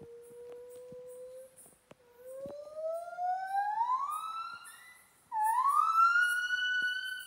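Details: In Kaeng Krachan National Park, a monkey sings long, pure, whistled notes that slide steadily upward in pitch.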